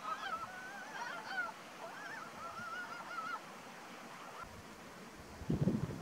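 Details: Ezo brown frogs in April give strange, soft, wavering, duck-like clucking calls that overlap in a loose chorus.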